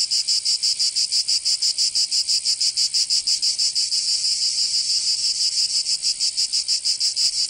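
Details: Cicadas singing in summer in Provence, southern France: a loud, dense, buzzy high-pitched drone pulsing rapidly about three times a second, steady throughout with no other sounds.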